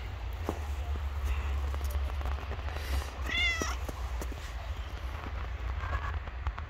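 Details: Hungry homeless stray cat on the street after a snowfall gives one short, rising-then-falling meow, with a steady low rumble and scattered clicks throughout.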